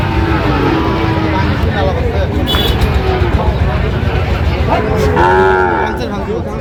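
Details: At a Sylhet cattle market in Bangladesh on 26 September 2025, where a farmer buys Sahiwal bull calves, a brief bellowing moo stands out near the end against steady crowd talk and traffic noise.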